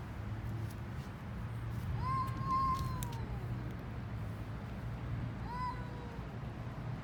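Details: Hungry stray street cats eating in Istanbul, Turkey: two drawn-out meows, the first long, rising then slowly sliding down, the second shorter a few seconds later, over a steady low rumble of city traffic.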